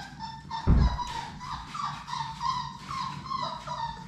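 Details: Labrador Retriever puppies from Sadie's litter of six, at play in their indoor puppy play room: high, thin whimpering whines with ringing overtones, several short rising yelps in quick succession, and a dull thump near the start.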